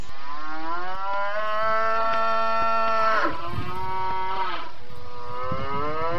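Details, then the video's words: Cattle, named in Indonesian as sapi and lembu, giving long, loud harmonic moos; one sustained low bellow runs about three seconds, then a second call rises and falls in pitch, with a faint background hum throughout. "Suara Sapi dan macam-macam suara lembu"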